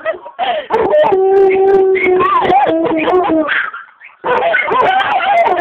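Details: Two pet dogs singing loudly together indoors: sustained, wavering howled tones that slide up and down, overlapping each other, with a short pause near the end before the howling resumes.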